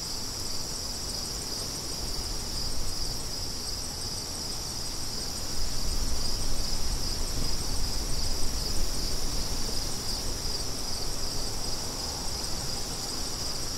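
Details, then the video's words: Crickets keep up a high, rapidly pulsed trilling chorus as wind rises in strength after a few seconds and gusts loudly beneath them. "Crickets & Wind"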